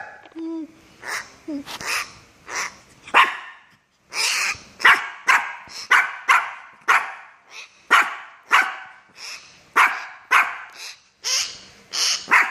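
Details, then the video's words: Shih Tzu dog barking while pestering a myna bird, a rapid series of sharp, bright barks in bursts roughly every half second, with a brief high squeak near the start. "Shih Tzu annoying the Myna Bird"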